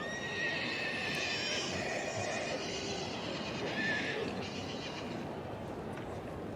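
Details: Welsh Cob, two years old, filly or gelding, with a fading whinny at the start and a short, thin squeal near the middle over steady background noise.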